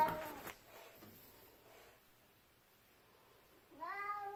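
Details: House cat standing in its owner's way on a staircase; mostly quiet room tone, then a rising meow begins in the last half second.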